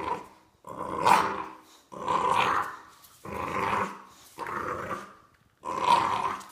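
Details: During a tug-of-war game, a bulldog puppy produces five drawn-out, throaty growls, each roughly a second long, with brief silences between them.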